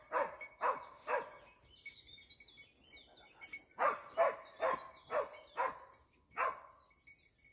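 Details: Dachsbracke giving tongue during training on wild boar: three quick barks, a pause, then a steady run of six more barks roughly half a second apart, with faint birdsong and a thin constant tone behind.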